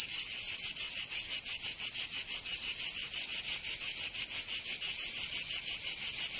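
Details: In Provence, southern France, summer cicadas keep up a piercing, rhythmic rattle-buzz, evenly pulsed about three times a second, steady and loud without background sounds.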